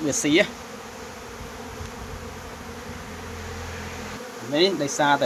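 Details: Honey bees swarm to compete for water, giving a continuous even drone between short bursts of a man talking at the beginning and close.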